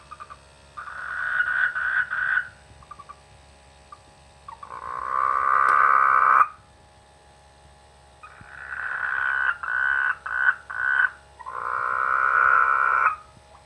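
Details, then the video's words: Frogs in rice fields during the rainy season give overlapping croaks: pulsed bursts alternating with longer buzzy, drawn-out croaks, one lasting nearly two seconds, with several callers active and brief quiet gaps. "The sweet sound of frogs in the rainy season"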